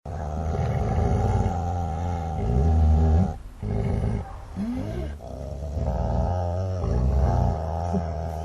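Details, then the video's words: Snarling dogs growling aggressively: a continuous, deep, rumbling growl with rough layered overtones, briefly breaking off near the middle before resuming just as harsh. "Growling Snarling Dogs"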